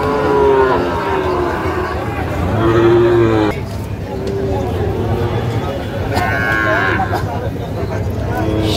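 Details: Sahiwal bull calves at the Ambari cattle market on 25/4/25, where a farmer from Gazipur buys animals: two drawn-out, steady mid-pitched moos in the first half, a lower groan after them, amid constant chatter and bargaining of a market crowd.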